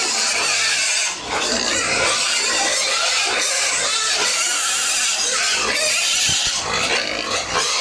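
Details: Many farm pigs and piglets at home feeding time squeal constantly, a thick, shrill, overlapping din of screeching calls that barely drops for the whole stretch, with a brief dip near the start.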